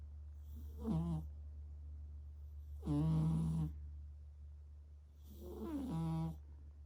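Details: Stitch, a domestic cat, snoring loudly: three drawn-out, buzzy, harmonic breaths spaced about two to three seconds apart over a continuous low electrical-sounding hum.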